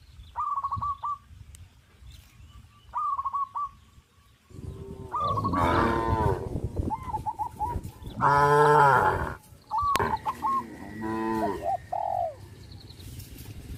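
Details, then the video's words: Several moos from tame cows that crowd around the fields and run and jump for joy: low, throaty calls bunched in the second half, preceded by scattered high hooked chirps over a quiet background. "sound of cows"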